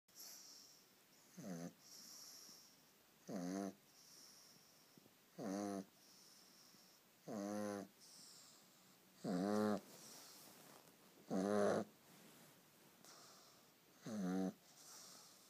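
A pug snores steadily, each breath a buzzy, rattling rasp that swells and fades. The snores come roughly every two seconds over a faint, constant background hiss.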